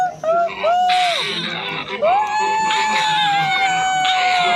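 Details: Silvery gibbon giving a few short whoops, then a long drawn-out note that rises and holds steady, slowly sinking, over rough noisy bursts of background calling.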